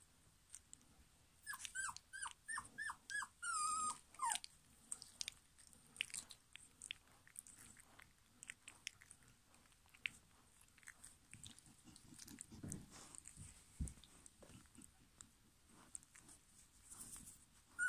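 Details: German Pinscher puppies, litter D from 2022, let out a quick run of about seven thin whining squeals, the last one drawn out, then gnawing, clicking and shuffling noises fill the rest.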